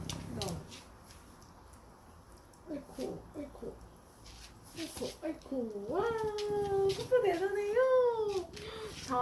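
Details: Cooper, a Welsh Corgi, taking off stockings indoors, gives long drawn-out whining moans that rise and fall twice in the closing seconds. Scattered speech and small clicks come before it.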